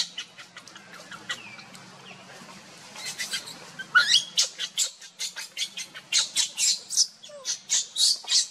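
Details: Monkeys: Luna running fast while carrying baby Luno as Rainbow tries to take Luno away. Rapid series of short, shrill screeching bursts, sparse at first, then louder and denser after about four seconds, over a faint low hum.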